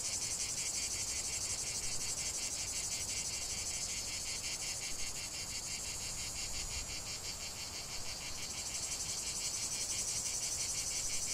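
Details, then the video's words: Cicadas in a lavender field keep up a long, unbroken, shrill rasping chorus with a fast, even throb of about three pulses a second. The song eases slightly midway, then returns to full strength. "chant de CIGALES au cœur d'un champ de lavande"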